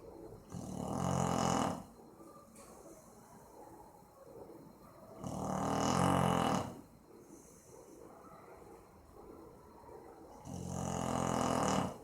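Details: Boxer named Maizena sleeping and snoring, recorded 18/04/2015; deep rasping snores in three long bursts about four seconds apart, each lasting over a second, with quiet breathing between.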